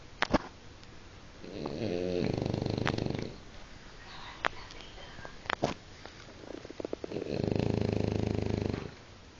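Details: French Bulldog named Guizmo snoring indoors: two long, low, rasping snore breaths, each lasting nearly two seconds and spaced about six seconds apart, with a few faint clicks and rustles in the quiet pauses between.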